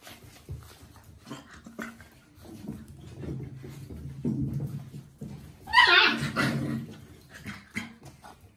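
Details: Labrador Retriever puppies, five weeks old, from a kennel in Scotland, playing together; low grumbling whines build to a brief high squealing yelp, then rustling and small whimpers.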